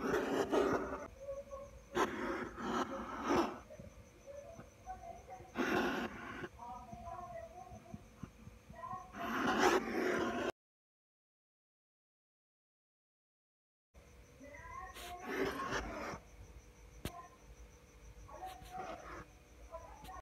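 An angry hedgehog huffs and snorts in harsh, breathy bursts, each lasting about a second.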